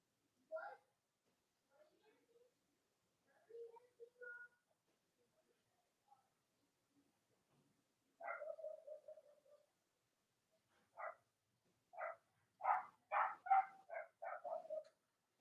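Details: Young Cavalier King Charles Spaniel puppies, litters of the dams Robin and Myra, squeal indoors on a chilly Monday morning. Isolated thin whines open the clip, then a rapid string of short, loud squeaks bunches together near the end.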